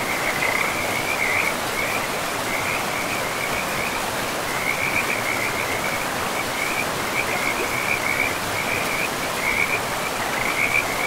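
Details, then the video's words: In a pristine forest with a flowing river, frogs give repeated high, rattling trill phrases separated by brief gaps, carried over a continuous hiss of running water. "River and Frogs sleep sounds"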